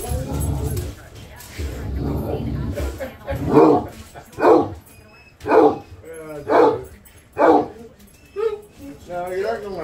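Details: A Basset Hound indoors gives deep, drawn-out bays about once a second at turkeys in the feeder zone, which fly off; speech early on. Bridgeport, Michigan, February 28, 2023.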